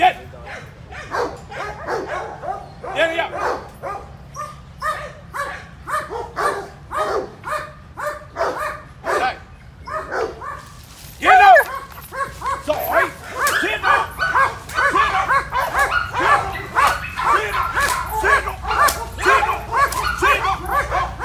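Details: German Shepherd in training, attacking on command: rapid series of loud, sharp barks roughly every half second, growing denser and more frantic after a short break midway, with people's voices mixed in.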